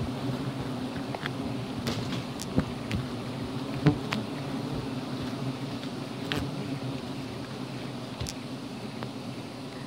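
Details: Giant honey bees (Apis dorsata) buzz continuously at a wild hive being harvested on Gunung Bongkok, Jampang, Sukabumi, among teak and calliandra; a dense low hum runs throughout, broken by scattered sharp taps and clicks.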